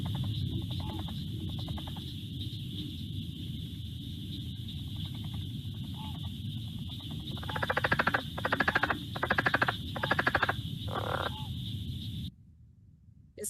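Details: A Southern leopard frog gives a guttural, chuckling call made of rapid clucks in short pulsed bursts.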